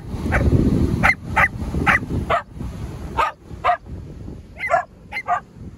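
Australian Cattle Dogs give sharp, insistent barks in quick, uneven bursts, demanding a swim.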